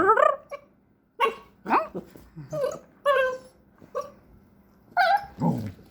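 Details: Jack Russell Terrier puppy making a string of short, varied whimpers and yelps, some rising sharply in pitch, separated by brief pauses, with a low growly note near the end.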